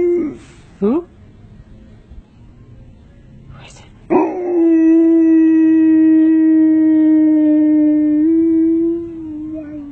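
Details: Siberian Husky howling at an ice cream truck, as if yelling "ice cream": brief voices and yips first, then one long, steady howl held at a level pitch for about five seconds before fading out.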